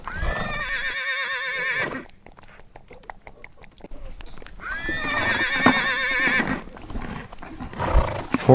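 A horse gives two long, quavering whinnies about four seconds apart, each shaking and falling in pitch. A voice speaks between them.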